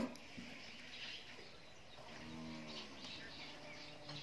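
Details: Nine-month-old Friesian heifer calf on a dairy farm in Pabna, Bangladesh, giving a low, harmonic moo lasting under a second, partly masked by steady background noise and faint voices.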